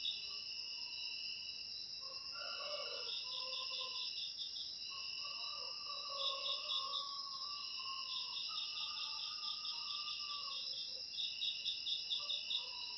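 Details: A continuous high cricket chorus, offered as a natural way to drive rats from a house. Steady ringing trills are overlaid by rapid pulsed chirp bursts repeating at intervals, with faint lower calls in the background.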